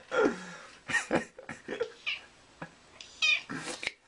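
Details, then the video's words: Domestic cat vocalising in a series of short meows and chirps, some rising and falling, interspersed with a person talking to it. "CAT TALKING TRASH"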